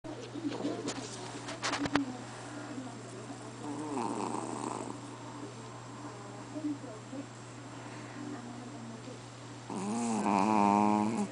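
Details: Sleeping Chihuahua snoring louder than a person: soft wheezy snores around four seconds, then a longer buzzing, vibrating snore near the end, over a steady electrical hum.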